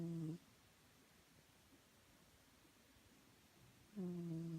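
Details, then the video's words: Chloe, a pet cat, snoring while asleep indoors: two loud, low, buzzy harmonic snores about four seconds apart, each under half a second, with near silence between them. "Chloe snoring"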